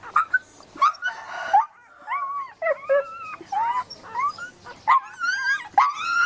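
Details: Puppy whimpering steadily, a run of thin, wavering whines that slide up and bend down, some drawn out and others clipped, with quiet gaps between calls.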